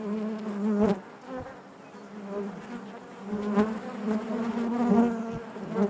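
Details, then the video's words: Honey bees buzzing inside their hive: a steady low hum with layered harmonic drones, swelling and fading as individual bees pass close, with brief louder buzzes near one second and again later. "bees therapy hive natural buzzing sound"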